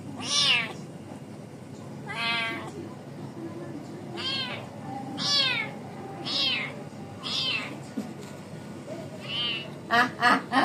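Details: Trapped domestic cat meowing: loud, harmonic, slightly falling meows repeated about every two seconds, with a quick burst of short cries at the end over a low background hum.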